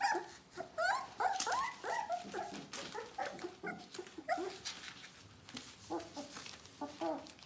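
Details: Bohemian Shepherd puppies from an "F" litter, nearly four weeks old, whimpering together: overlapping high, wavering whines and yelps, rising and falling, crowding one another almost continuously with brief gaps, over soft shuffling and rustling.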